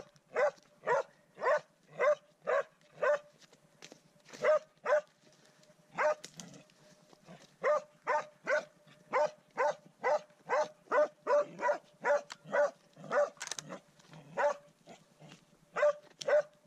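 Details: Baying from Swix, a dog facing his first wild boar: a long steady run of loud, ringing barks, roughly two per second, with only brief gaps in the rhythm.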